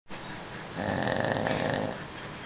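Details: Sleeping dog snoring: one drawn-out raspy breath lasting about a second, rough and buzzy with a steady band of harmonics, set against a quiet indoor hiss.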